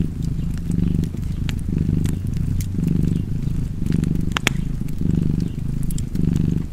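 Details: Low rhythmic cat purr, each inhale and exhale roughly a second long, under frequent crackling and popping from a nearby fire.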